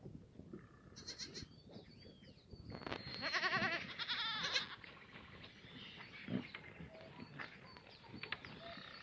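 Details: Black goats on a free-range, antibiotic-free farm at the foot of Mucheoksan in Sangdong-myeon, Gimhae, South Gyeongsang, on a sunny Monday morning, 24 June 2019, in the exercise yard: several wavering, quavering bleats in the middle, with higher whistled sounds and scattered rustling around them.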